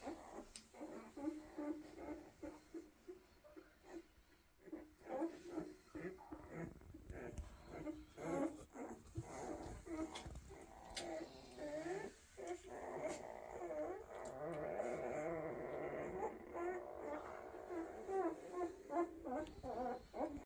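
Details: Weimaraner puppies, a first 2023 litter, resting quietly indoors: repeated short whimpers and squeaky whines come in irregular bursts, with a longer stretch of overlapping whining toward the end and light rustling throughout.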